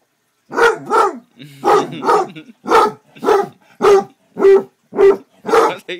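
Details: Pet male Basset Hound barking and howling: paired, strongly harmonic barks repeated roughly every half second across six seconds, each with a slightly drawn, howl-like tail, loud and close.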